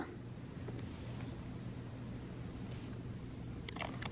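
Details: Low steady indoor hum with a few sharp clicks near the end and no animal calls.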